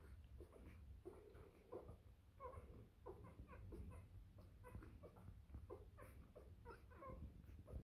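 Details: Three-day-old Bernese Mountain Dog puppies make soft scattered squeaks and brief whines, fairly quiet, with snuffly rustling and a constant low hum indoors.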